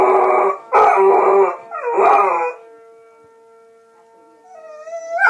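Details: Two loud, rough howling bursts from a dog with a siren, fading into a lone steady tone before a rising wail begins at the close.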